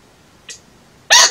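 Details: A Royal Persian Angora chinchilla gives two short, harsh, hiccup-like alarm barks, a faint one then a louder one about half a second later, against a quiet background; alarm barks signal fear of a possible predator.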